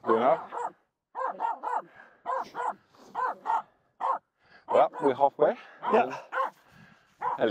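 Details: Finnish Spitz named Aamu barking at two reindeer walking close by while crossing a snow pack on the climb up Mulen. Short, harmonic barks come in quick bursts, mixed with a person talking over them.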